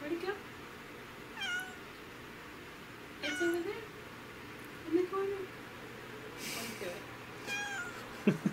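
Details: Domestic cats indoors hunting bugs at home; several short rising chirpy meows with harmonic stacks, spaced irregularly across the recording, plus soft household noise and a brief rustle.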